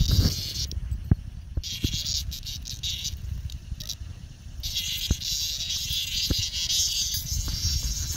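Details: A boisterous cicada meeting a dog named Bella, its shrill steady buzz broken by brief pauses and sharp clicks, while a person urges the dog on with repeated words.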